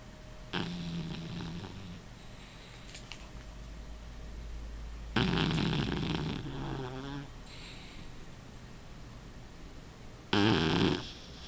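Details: Rufus the dog snoring in his sleep: scattered rasping and snorting breaths separated by long quiet gaps, the loudest a sharp snort near the end.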